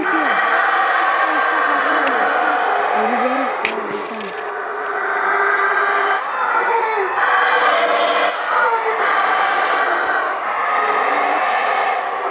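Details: Howler monkeys in the Monkey River basin near Placencia, Belize, giving a dense, harsh roaring chorus that runs almost unbroken, with lower swooping moans surfacing underneath and slight swells in loudness throughout.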